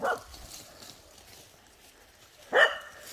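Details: A Welsh Corgi from a pack of eight on an autumn hike gives two sharp barks, one at the start and another about two and a half seconds later, with quiet outdoor background between.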